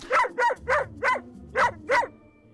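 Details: Fearful, insecure puppy barking at a specialized female therapist dog. These tightly spaced barks signal unease. Six sharp, evenly spaced barks come about every quarter second, then stop, leaving quiet room noise.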